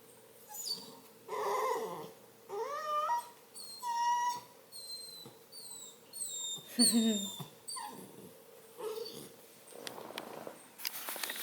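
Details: Whining Redbone Coonhound puppy, male, restless in bed: repeated high whimpers roughly once a second, some gliding upward, others short, piping and steady. A few softer, lower whines are mixed in, over a constant low hum.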